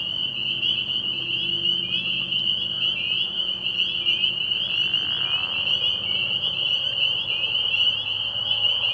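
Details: Early-year frog pond at night, spring peepers massed in full chorus; sharp high whistled peeps pile into an unbroken shrill wall, a few upswept notes audible, low faint hum underneath.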